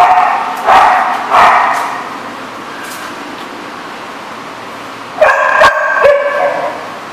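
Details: Barking dogs at a lot, two spaced barks early, then a quick cluster of three to four harsh, yelping barks after five seconds, with faint background noise between.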